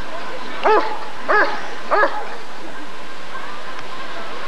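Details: Rottweiler at the 1994 ADRK Körung breed survey giving three loud, sharp barks about two-thirds of a second apart, then falling quiet, with faint background hum.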